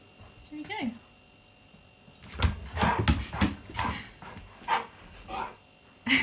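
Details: Key, a Siberian Husky, protests when asked for a selfie. A short wavering whine opens, followed by a run of harmonic, yodel-like howls and grumbles rising and falling over several seconds, overlapping a human voice in a small room.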